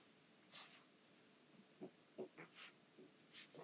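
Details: Young female pug puppy handling her anglerfish toy harshly: a quick run of short nasal snorts and puffs of breath, some low and grunting, some sharp and hissy, in a small quiet room.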